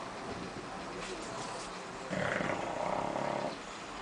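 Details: Bulldog snoring in a living room: one drawn-out, rasping snore of about a second and a half with a buzzing harsh texture, set between quieter stretches of low household background.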